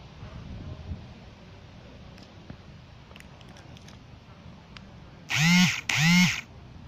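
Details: Playful calico cat outdoors among autumn fall leaves in a neighborhood, giving two drawn-out arching meows in quick succession near the end, each rising then falling in pitch, over a low steady background rumble.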